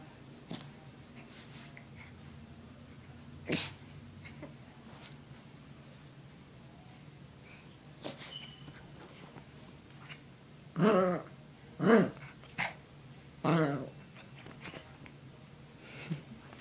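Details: Spoiled puppy dog crying over a massage indoors: a few short, tonal whimpers with sneezy snorts, then three clustered whining cries near the end about a second apart, in a quiet room.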